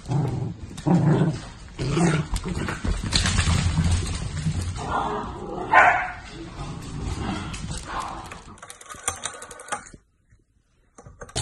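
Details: Miniature Dachshund barking in short, rough bursts spread through the first ten seconds, with talking and household noise mixed in. The sound cuts to near silence near the end.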